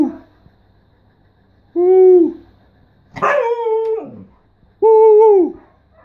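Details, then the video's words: Siberian Husky talking with three drawn-out calls: a level moan, a rougher falling howl, then another steady mid-pitched woo, spaced a second or so apart. "Talking with my husky"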